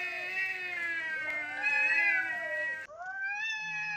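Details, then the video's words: Cats in a dominance standoff, ignoring a person wanting to join in: a continuous wavering yowl with layered voices rising and falling slowly, then a sudden break into a higher, steadier moan. "Cats dominating while I'm cooking"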